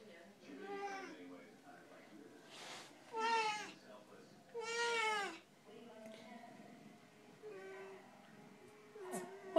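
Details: One of two chatty Siamese cats, calling indoors: a run of drawn-out, harmonic meows, two loud, wavering ones in the middle and softer shorter ones around them, while a person speaks quietly to the cats.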